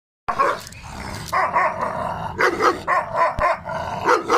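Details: Bully Gultair dog barking in a rapid, harsh series of about eight loud barks, each sharp and rough-edged, coming roughly every half second with brief gaps between bursts.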